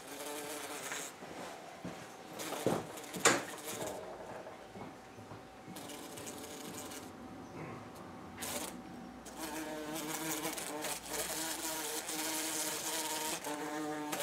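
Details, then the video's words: Not very aggressive bumblebee threatened by a cat named Butters while out in the sun; scattered knocks and thuds early, then a continuous droning buzz with rich harmonics swells and holds through the final seconds. "BumbleBee saved from Cat!!!!"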